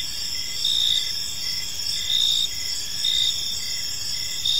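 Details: Gentle cricket chirping in a park at dusk: bright high trilled pulses swelling about every second over a continuous shrill chorus, with light low-frequency ambient noise.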